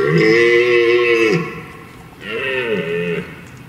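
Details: During the rut, as a large herd of red deer hinds and stags crosses a stream into woodland, two nasal, bleat-like calls are heard, each about a second long with an arched, slightly wavering pitch, while stags roar nearby.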